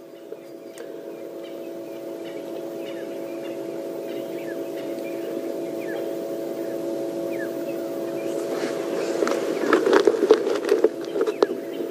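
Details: A steady engine hum from a safari vehicle with light rustling and clicks, growing louder toward the end, and no clear animal sound.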